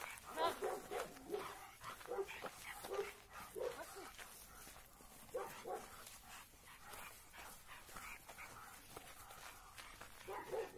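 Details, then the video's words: Labrador Retriever brothers Oskar and Graf meet again after a long separation and play, straining on the leash. Short, rough barks and yips come in uneven bursts, mixed with a person speaking. "ВСТЕЧА 2 БРАТЬЕВ ЛАБРАДОРОВ СОСТОЯЛАСЬ#ЛАБРАДОРЫ ИГРАЮТ"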